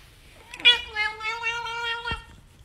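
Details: A pet cat lets out one clear, steady meow lasting about a second and a half, held level in pitch and ending abruptly, recorded indoors with little else audible.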